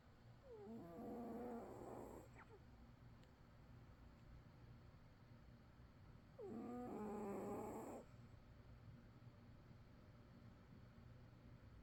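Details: A sleeping cat snores in slow breaths roughly six seconds apart. Each breath is a buzzy, whistling snore of about one and a half seconds with a slightly rising, wavering tone, heard over a low steady hum.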